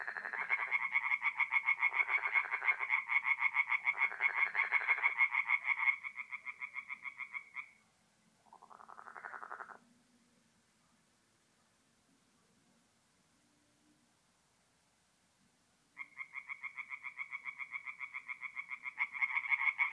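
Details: Night chorus of tree frogs at a forest pond in north-east Italy in mid-April: fast rattling croaks for six seconds, a short burst, then about six seconds of near silence before the pulsed calling returns.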